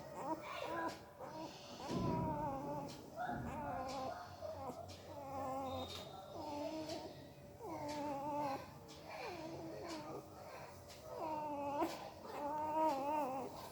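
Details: A puppy whimpers in its sleep, probably dreaming, making odd mouth noises: a run of thin, quavering whines rising and falling, in bursts separated by short pauses, with faint indoor rustling.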